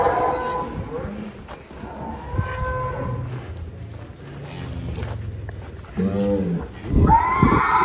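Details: Huge fat cow giving a short, drawn-out moo near the end, rich in stacked harmonics and briefly rising, after a stretch of low background noise and human voices.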